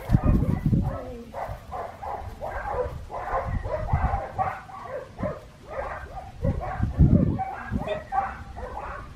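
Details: Blue merle male Australian Shepherd puppy, AKC and ASCA registered, at a licensed breeding farm in Oklahoma; a run of short, high, harmonic yips and barks comes in quick bursts, with louder thumps and a person speaking softly.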